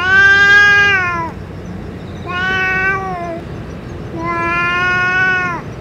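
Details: Three drawn-out meows from a stray boss cat after eating food and medicine, each lasting about a second, the first loudest, with short pauses between and a low background hum.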